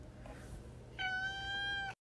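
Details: House cat giving one steady, even-pitched meow lasting about a second, sharp and strongly tonal, after a quiet stretch of faint room noise, ending abruptly.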